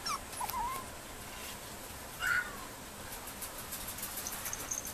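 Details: Female Mame Shiba Inu puppy at a breeding kennel giving short, thin, high whines: a wavering whimper at the start, then a sharper rising-falling cry after two seconds, with faint rustling around it.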